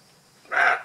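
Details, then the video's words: A roe deer filmed in Alsace gives a single short, hoarse bark after a moment of quiet. "Aboiement du chevreuil"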